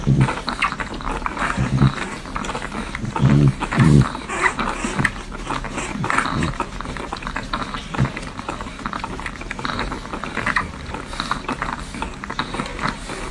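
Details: Newborn French Bulldog puppies nursing, heard up close: steady soft wet suckling clicks and gurgles, with a few low grunting squeaks clustered near the middle.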